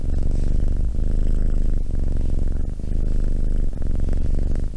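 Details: Close cat purring, a thick low vibrating rumble broken into breathing cycles roughly every 0.9 seconds, each pass starting with a short catch.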